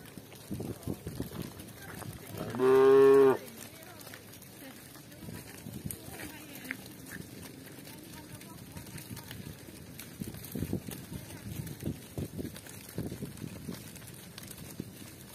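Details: Village cows walking with shepherds; one short, loud moo lasting under a second rises above a background of soft shuffling and hoof-like clatter.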